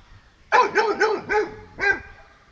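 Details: Frightened dog barking at a buffalo met during a morning walk: a rapid run of four harmonic barks followed by one more after a brief gap, with faint background quiet before.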